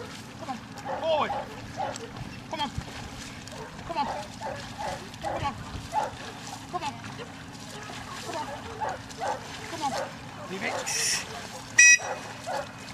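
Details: Newfoundland dog Layla working through section C of the Grangewater water tests. Quick, rough barks keep coming in a steady run, with a splash of water and a sharp click close to the end.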